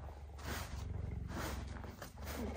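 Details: Captive female cheetah in a snowy enclosure, approaching a male cheetah after he left her enclosure, voicing displeasure while defending her territory; a steady deep rumbling growl with pulsing low tones, a woman's voice briefly audible.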